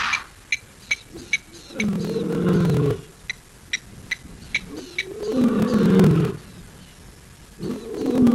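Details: A lion gives deep, rumbling roars in a series, each lasting about a second, on a live camera in Africa on 4 October 2023 at 6:15 PM.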